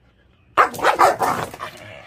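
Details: A female dog in heat, kept apart from the males, barks angrily at a young intact male courting her, in a quick, harsh burst of several loud, snarling barks.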